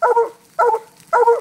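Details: Treeing barks from Fog, a black and tan coonhound on a raccoon released from a cage: three loud doubled chop barks in quick succession, about half a second apart.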